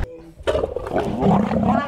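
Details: A grumpy male lion gives a low, rough growl lasting about one and a half seconds, swelling in loudness toward the end, just after a man's short spoken remark.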